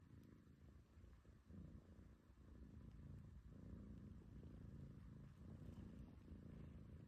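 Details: Domestic cat purring contentedly while its belly is stroked, a steady low rumbling purr with rhythmic pulses continuing throughout, no other sounds.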